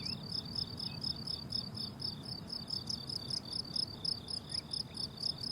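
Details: Meadow crickets in summer sing a piercing, regularly pulsed chirp, many insects overlapping into a continuous bright trill, with a mild low-frequency hum in the background.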